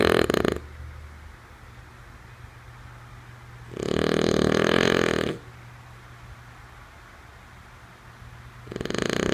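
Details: Lulu, a female French Bulldog, snoring while asleep: a rasping, fluttering snore around the middle of the clip, with the edges of other snores at the start and end, over a steady low hum.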